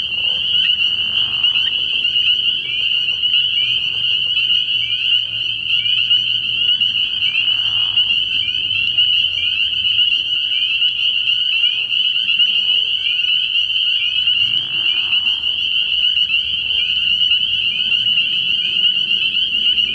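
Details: Frog pond at night early in the year, full of spring peepers: a steady shrill chorus in which individual short, upslurred peeps stand out every fraction of a second above the ringing mass of calls.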